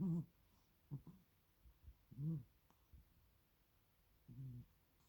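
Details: Snoring cat asleep indoors: several short, soft, low rumbling snores at uneven intervals, some barely a quarter-second long, with faint breathy sounds between them.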